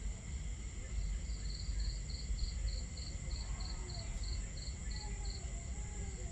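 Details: Cricket at night during camping on a starry night, faint even series of high chirps spaced roughly every third of a second, partly buried under a strong low rumbling wash of crackling fire and flowing water.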